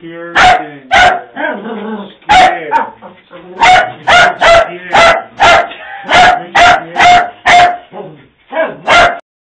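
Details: Puppies scared of a Halloween prop bark sharply and repeatedly, about a dozen loud yappy barks in quick bursts, with a steady electronic tone and brief voices between barks.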